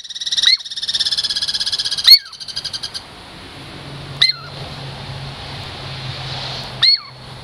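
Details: Douglas squirrel Girl Squirrel, a friendly pet from the Puget Sound lowlands seeking a treat, opens with a rapid rattling trill, then gives sharp high chirps with falling tails, separated by gaps of about two seconds.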